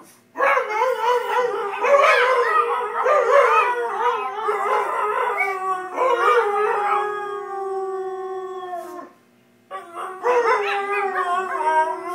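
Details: Shanty and Yuna, two pet dogs, sustain overlapping howls with quavering, bending pitch, the final long note holding steady before a short pause and a fresh round of howling.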